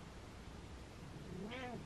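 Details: A short, happy meow from Butters, a male indoor cat, at the very end. The call rises gently and then holds level over steady low room hum.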